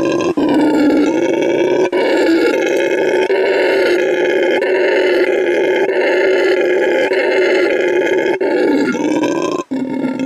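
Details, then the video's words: Howler monkey roaring in a long, unbroken, deep rasping drone that holds steady for ten seconds, with only a few brief breaks. "Howler monkey sound"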